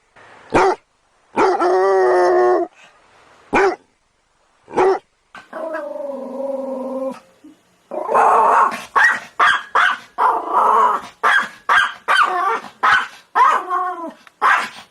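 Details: Excited dog alternating single barks with long, tonal whining howls, then breaking into a rapid run of yipping barks and whines.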